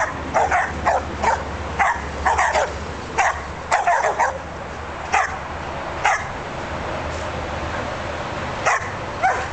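Australian Shepherds bark in sharp bursts, often in quick pairs and triplets, with a few higher yips.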